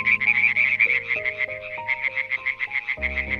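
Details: {'text': 'European tree frog calling in a rapid series of harsh, rattling croaks, about three per second, loud and continuous, with soft piano music playing underneath throughout.'}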